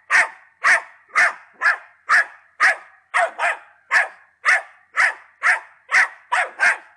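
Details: Ten-month-old Patterdale Terrier called Attila giving a steady run of loud, sharp barks, about two per second, evenly spaced and harsh, with a quiet background.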